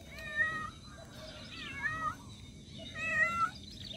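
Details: Domestic cat calling for a lost kitten, giving three drawn-out, plaintive meows that bend upward and then sag, separated by short quiet gaps, against a low constant hum.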